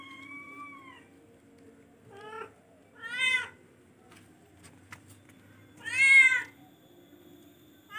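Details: Charcoal F1 cat giving a series of meows: a faint steady tone first, then short rising-falling mews and two loud bright wails spaced a few seconds apart, with soft clicks and a low background hum.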